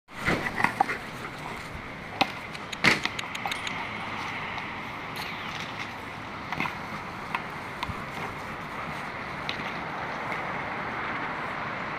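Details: Clicks, taps and jangling over a steady hum with a faint tone near two kilohertz; no animal voice stands out.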